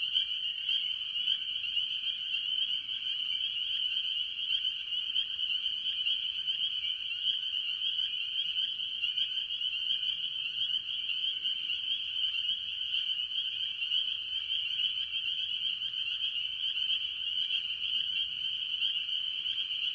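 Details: Spring peepers, mostly, with various other tree frogs calling early in the year at a farm pond; a dense continuous chorus of high piping peeps merges into a steady shrill band without pause.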